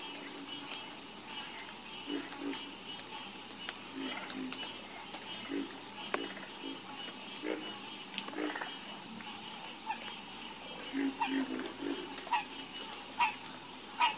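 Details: Frogs croaking at night in a black-screen sleep recording: scattered low, short croaks and brief clicking notes rise over a steady high insect hum that runs throughout.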